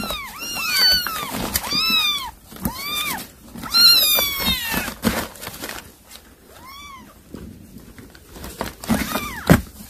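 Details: Mother cat calling her kittens to come eat the mouse she caught: a rapid series of loud, arched, harmonic-rich meows in the first five seconds, then scattered softer meows, with handling knocks.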